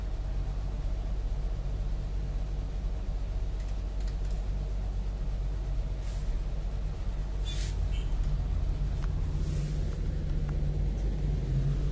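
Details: No animal is heard, only a steady low rumble of passing vehicles and urban outdoor noise, with a few faint higher clicks and hisses.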